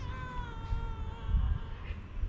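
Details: Beautiful fluffy cat with big paws, described as a little timid, gives one long drawn-out meow that holds steady and sinks slightly in pitch, with a low rumbling background hum throughout.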